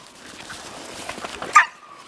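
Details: Dog, from a visiting female named Taina rebuffing the pushy male stud Sobol; a single sharp bark rings out after soft scuffling, with a person talking nearby.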